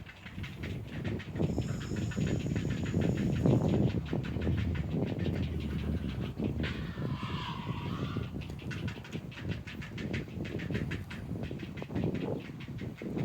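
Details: Ezo haruzemi cicada song from Odawara Castle, insect not located: a dense train of quick regular pulses, several per second, running the whole time over constant strong wind roar, with a short broad rushing burst midway.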